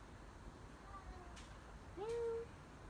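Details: A visiting stray cat gives a faint short call, then one clear meow near the end that slides upward and holds steady, over low background hiss.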